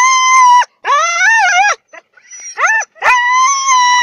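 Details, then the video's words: Siberian huskies "sing" before training, howling in long, clear, wavering notes broken by short rising yips. "Хаски похожие на волков поют песню"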